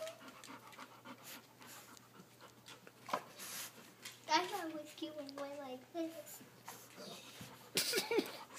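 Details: An old pet Rottweiler pants indoors, frustrated at a laser pointer dot. Quick, breathy, noisy bursts come in a steady run, with a child's voice and other talk in the small room.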